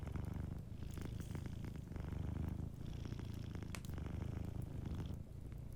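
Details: A sleeping cat purrs in front of a warm fireplace, its deep, dense rumble strong and continuous with slight swells, accompanied by a busy scatter of fire crackles.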